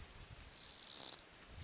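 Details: Calling song of the bush-cricket Gampsocleis schelkovnikovae, Letea, Romania, 11–12 September 2012: one shrill, very high buzzing phrase of about three quarters of a second that swells in loudness and then stops abruptly, in a quiet background.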